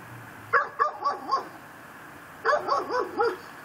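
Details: A neighbour's pit bull, tied to a post in a yard and barking day and night, barks in two quick bursts of four sharp, mid-pitched barks at midnight on 24 December 2012.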